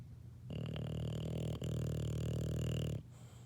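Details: Single drawn-out, gravelly snore of about two and a half seconds from a sleeping English Bulldog puppy, briefly broken midway, over a low constant hum.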